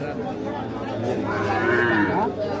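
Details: {'text': 'Calf at the Ambari cattle market in Bangladesh, recorded 28 March 2025, gives a drawn-out, wavering moo with rich harmonics near the middle of the clip, over steady crowd murmur, voices and background music.'}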